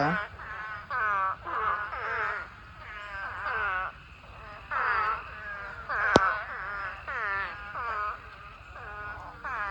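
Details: Spadefoot toads calling in a mating swarm of thousands in a pond. Bursts of harmonic, moaning bleats, each dropping in pitch, come roughly once a second from many overlapping toads, with one sharp click midway.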